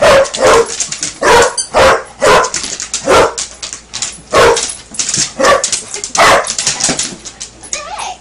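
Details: A basset hound plays with its toy alligator and barks steadily, giving around a dozen sharp, loud barks at irregular short intervals over eight seconds.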